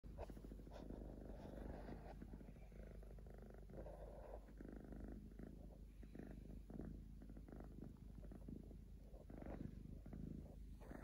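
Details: Three-legged domestic cat purring steadily while asleep indoors, a low continuous rumble of fast regular pulses throughout, with faint rustling from movement.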